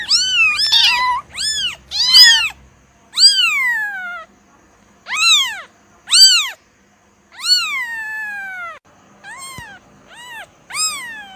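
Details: Kitten mewing, a quick cluster of shrill overlapping cries first, then slower, separate meows that swoop up and down, one long and trailing, ending with shorter, softer mews; near silence between calls.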